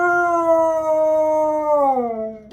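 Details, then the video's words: Sunday-morning scream from a Siberian Husky: a sustained, strong, even-pitched wail lasting about two seconds, then dropping in pitch at the end and cut off by a short sharp noise. "Why do we have to scream on Sunday mornings"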